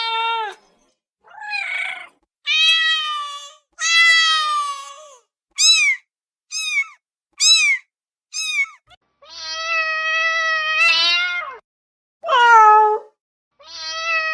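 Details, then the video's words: Cat meowing for immediate attention, a mix of long level meows and short, sharply arched high mews in quick succession, some rising and falling, clean background. "SOM DE GATO MIANDO [ Para Atrair Gatos ]"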